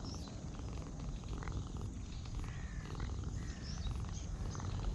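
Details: A cat being stroked purrs in a soft, low, even rumble. Faint chirping birds are audible higher up in the background.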